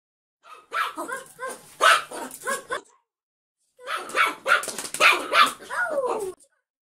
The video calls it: Cute dog Yorkshire Terrier Poki barking. Why?